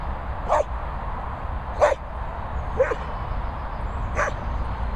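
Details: Collie cross named Patch barking at boarding kennels in rural Worcestershire: four sharp, single barks about a second or more apart, each a brief burst, against constant low-frequency hum.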